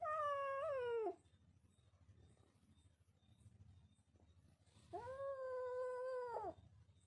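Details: Kitten meowing twice indoors: a first cry of about one second that dips at its end, then after a pause a longer, steady, nasal meow ending in a downward slide.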